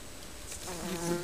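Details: A Western honey bee from a colony living under a garden shed gives a steady, low droning buzz that swells in as it flies close to the nest entrance.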